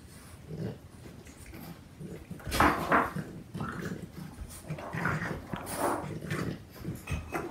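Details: A young Boston Terrier puppy of four months wrestles and tugs with an older four-year-old dog; rough growling bursts and nasal whines come in irregular clusters amid thumps and scuffling of play.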